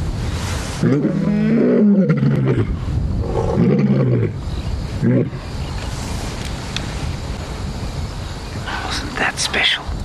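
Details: On a morning in late January 2017, lions roar in deep, moaning bursts in chorus: a lioness calls to gather the rest of her pride, then a lion with her and two males join in.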